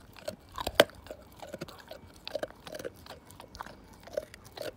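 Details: Slim, a Siberian Husky, tearing apart a bone, with dense crunching and biting: sharp cracks several times a second, one loud snap near the start, in a quiet room.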